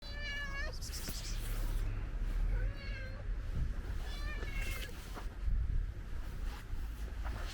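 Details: Friendly ginger stray cat asking for food: several clear, drawn-out meows, some rising and falling, spread across the recording over a steady low rumble of background noise.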